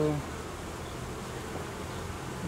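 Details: Honey bees in a hive during reorganisation, with new frames being removed from the colony's edge in cooling weather; a brief low tone at the start, then a continuous, even droning buzz of the crowded colony.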